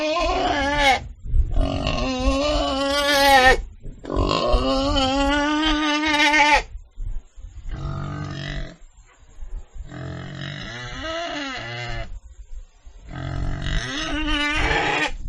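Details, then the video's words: Pig squealing in a series of strained, wavering cries, some rising and falling in pitch, with rough noisy stretches between them and brief silences. "Animal Sound: Sound Of Pig - 豬的聲音 [ Suara Babi ]"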